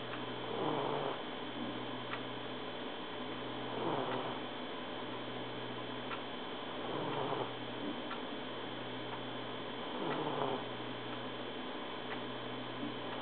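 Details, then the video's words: Trouble, a male Egyptian Mau cat, snoring in his sleep indoors on 1 January 2011; soft raspy breaths repeat about every three seconds over a steady background hum. "truble snoring"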